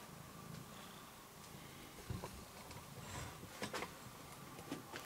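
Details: Rudolph, a male domestic cat, purrs indoors while getting his claws cut: a soft, steady low rumble throughout, broken by a few sharp clicks and handling noises.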